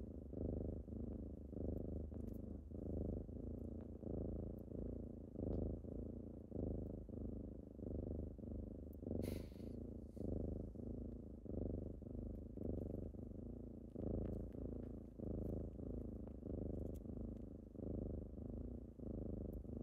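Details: Morning purring from kittens waking someone up: a continuous low rumble in regular breath-paced pulses, steady loudness throughout, with one brief sharp rustle midway.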